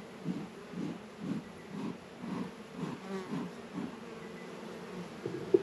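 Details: Honey bees working at a hive in an apiary in northern Kentucky on a 72-degree February day, a low buzzing hum swelling and fading in regular pulses about every half second, with faint background hiss.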